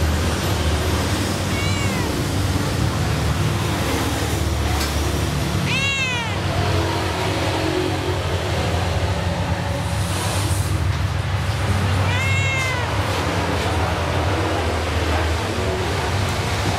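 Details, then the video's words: A cat at a food stall gives three clear, high, downward-sliding meows spaced several seconds apart over a constant low rumble of traffic and street noise. "every food stalls had one funny cat"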